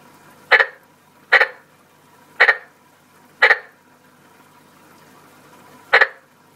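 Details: A male frog sings his loud song in front of a warm tree: short, sharp croaking chirps spaced about a second apart, with a longer pause.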